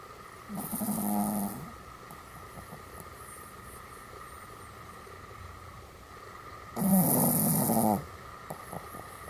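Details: Pomeranian dog greeting at morning and night with two separate drawn-out, wavering, harmonic howl-like utterances about a second each, spaced roughly six seconds apart, with a steady background hum between them.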